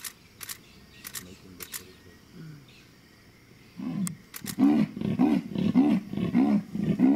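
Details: Female leopard calling at sundown in Mashatu after recent rain, tracked from a vehicle; camera shutter clicks precede a series of about seven deep, rasping sawing strokes, rhythmic like wood being sawn, each roughly half a second apart.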